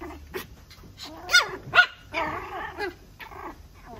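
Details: Red female toy poodle giving a run of high, nasal whines and short yelps, some bending upward then falling, in about six uneven bursts over four seconds, with a longer wavering whimper in the middle and little background noise.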